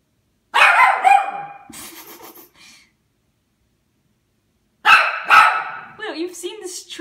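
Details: Young Toy Poodle, about one and a half, barking at a Christmas tree it has sniffed before: two sharp barks, then a pause, then two more, with a woman talking to the dog in between.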